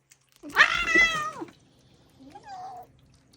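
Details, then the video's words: Pet cat meowing while eating treats indoors: one loud, long, harmonic meow that rises, holds and falls over about a second, followed by a softer, shorter wavering meow. "The funny sounds our cats make when they are eating treats."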